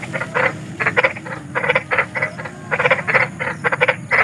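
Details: Big wild frogs croaking, shared as a bedtime sound for fussy children; loud grouped croaks of rapid pulses, several callers overlapping in quick bursts with brief gaps, over a low rumble and faint high tone.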